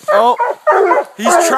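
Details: Coonhounds of Walker, Bluetick and Black and Tan breeds bay at a treed raccoon, the hunt having gone down a 30 ft hill. Drawn-out, wavering harmonic bawls in three long bursts, with a brief hissy noise near the end.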